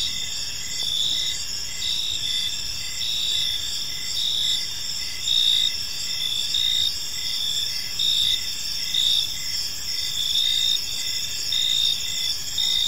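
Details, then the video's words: Evening chorus of crickets in a quiet park, layered high trills overlapping with rhythmic chirps about once per second, a faint low hum of distant noise underneath. "Cricket Sounds in a Peaceful Park"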